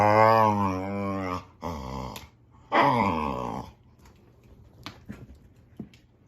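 A boxer dog gives long, wavering, moaning whines and grumbles, rising and falling like talking.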